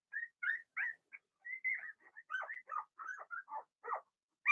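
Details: Young Cavalier King Charles Spaniel puppies, Blenheim-coloured littermates in an indoor puppy pen, give a steady run of high whines and squeals, with a few yelps following one another almost without pause.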